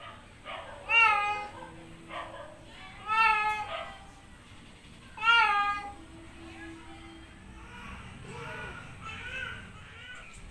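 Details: Male domestic cat in heat meowing loudly to a female outside; three loud, drawn-out, wavering meows about two seconds apart, each rising then falling, with fainter, shorter meows between and after them over low background hum.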